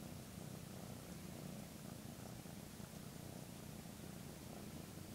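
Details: Purring of a 13-week-old male Maine Coon kitten as it grooms its owner with its tongue, a behaviour the owner says woke them at 6am; a continuous, even, deep vibrating rumble fills the whole recording without breaks.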